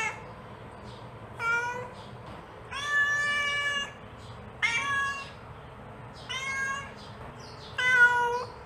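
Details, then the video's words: Domestic mother cat calling to her kitten with five meows at uneven gaps. The middle calls stretch past a second, steady and nasal, while the others are shorter and sharper. "The Sound of a Mother Cat Calling Her Child"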